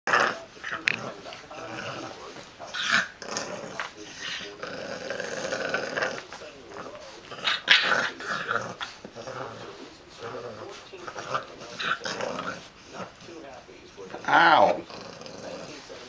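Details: Bulldog puppy at play, giving short rough growls and snuffling grunts in uneven bursts, with a louder yelping outburst near the end; a person speaks close by and exclaims in pain.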